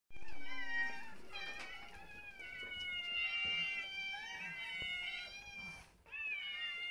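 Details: Several domestic cats at a small home shelter crying insistently, the cries likened to "mama-mama-mama"; long, overlapping harmonic meows that rise and fall, nearly continuous over seven seconds with a brief gap near the end.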